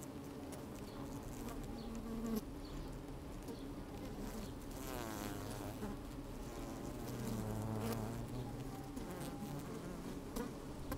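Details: Working honey bees recorded with a microphone lowered into an open hive on a fine sunny day; dense humming drone with wavering buzzes that swell and fall, plus soft rustling and clicks of bees moving.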